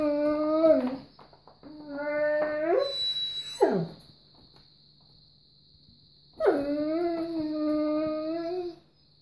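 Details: Weimaraner; begging whine; begging for treats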